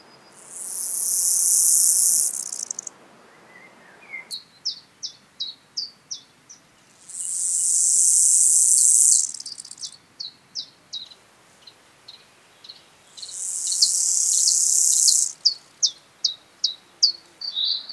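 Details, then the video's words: Gravel grasshopper at Taugl, Austria, on 6 July 2019, captured with an ultrasound detector. Bursts of dense, high hissing stridulation about two seconds long alternate with series of short, sharp, evenly spaced ticks, repeating in cycles. "Chorthippus pullus -- Kiesbank-Grashüpfer -- Gravel Grasshopper"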